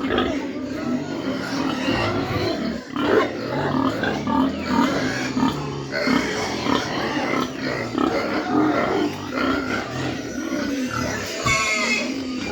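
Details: Farm mini pigs in Dimapur, Nagaland, grunting and snuffling continuously, mixed with people talking nearby and faint music.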